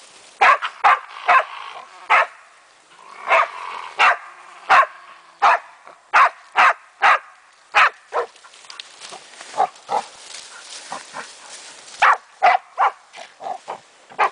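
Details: German wachtelhund Meya at play with a raccoon dog, barking in quick bursts, some barks doubled, around twenty-five sharp barks with brief pauses and softer yips in between.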